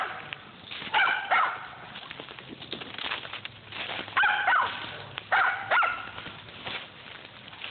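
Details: Dogs hunting squirrels at Millen give three bursts of harmonic, slightly yelping barks about every two seconds over steady outdoor hiss, with fainter barking between them.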